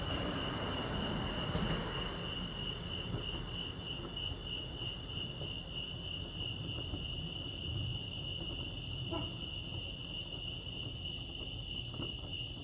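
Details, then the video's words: Crickets chirping at Lake Arrowhead, California, a constant high trill running the whole time beneath broad rushing noise, possibly a passing train, with a few faint knocks. "Serenity sounds crickets chirping lake arrowhead"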